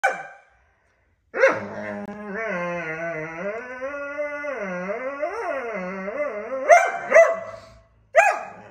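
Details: Borzoi dog, angry and fighting, gives a long moaning vocal lasting about five seconds that wavers up and down in pitch with rich overtones. Short sharp yelps and bursts come just before and after it.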